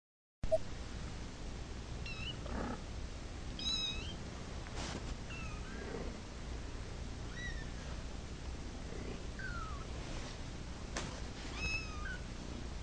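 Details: Cat meowing because it wants to go to its mama: short, high, curving mews with bright harmonics, repeated every second or two through the clip. Quiet clicks and a low steady hum sit underneath.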